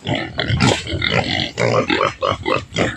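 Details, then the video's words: Farm native pig at feeding time with taro, a dense run of harsh grunts and snorts, some louder and more squealing, packed closely together. "paano kumuha ng gabi na ipakain natin sa native pig"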